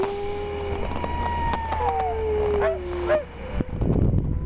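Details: Huskies used for sled rides at Schröcken am Hochtannberg give overlapping steady howls with small upward bends, over a low engine-like rumble; a thump and noisy bustle follow at the end.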